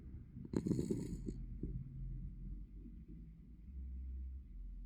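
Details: Norman, a Norwich Terrier, snoring while asleep indoors: a rough low snort-like burst near the start, then soft, steady, low rumbling breaths with a faint constant hum in the room.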